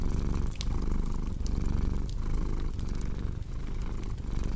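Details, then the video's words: A cat's steady, low-pitched purr, pulsing in breath-length swells about once a second, blended with the snapping crackle of a fireplace for a deep-sleep relaxation track. "Purring Cat with Cozy Crackling Fireplace Sound"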